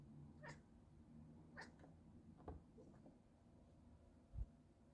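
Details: A black domestic cat watching birds, probably robins, on the ground goes into hunt mode and chatters in quiet, clicky bursts about once a second, with a low room hum and a soft thump near the end.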